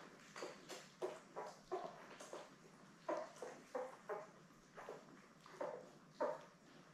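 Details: Newborn Labrador Retriever puppies, a litter of seven born May 24, 2021, with their mother Belle, indoors on a live puppy cam on 3 June: short high squeaks and whimpers repeat roughly every half second over a quiet room hum.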